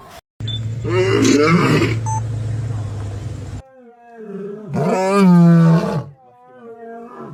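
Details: A lion gives deep, rumbling roars in two long, powerful bursts; such low-frequency roars carry far and serve to mark territory, call pride members or warn off threats.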